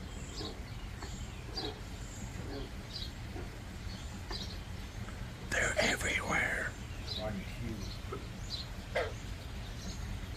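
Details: Frogs call all around outdoors at about 3:00 in a steady chorus of short clicking pulses, several each second.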